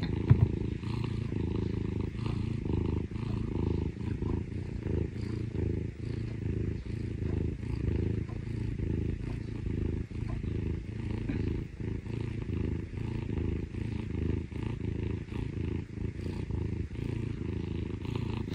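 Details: Parumu, a Scottish Fold rescue cat and younger sibling, purrs contentedly while being affectionate with its owner; a dense, even, motor-like rumble runs unbroken through the whole stretch.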